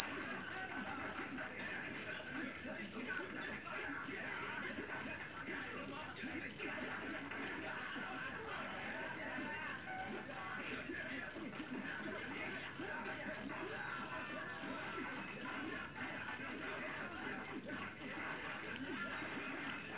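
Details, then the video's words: Loud Javanese cricket, a jeliteng taken from rice paddies: piercing high chirps pulsing evenly about three per second throughout, over a soft, low background rustle. "SUARA JANGKRIK PENGUSIR TIKUS SUARA ASLI"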